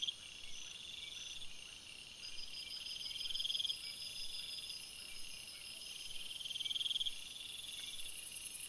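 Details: Crickets chirping at night in a forest, a chorus of fast pulsed high trills at several pitches, two louder bursts swelling and fading, and a very high shrill trill joining near the end.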